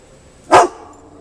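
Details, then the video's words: Pet dog giving a single short, sharp bark while alerting to a scary floating object, heard after a person's quiet questions. "Alert Dogs"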